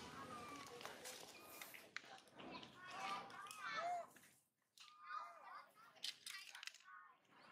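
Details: Spoiled baby monkey Mila cries while mother Malika is away searching for food, running to brother Marto, who rejects her; repeated arching, harmonic squeals and whimpers with brief pauses, over scattered clicks and rustling.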